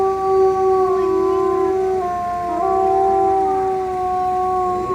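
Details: Wolf howls held as long, flat, pure-sounding notes. Two or more voices overlap at different pitches, with small pitch steps and wavers midway, continuing throughout.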